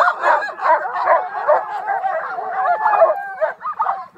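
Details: Excited sled dogs in Utah yipping and barking in a rapid, irregular chatter, short sharp barks about two to three per second, with drawn-out whines layered over the pack's noise.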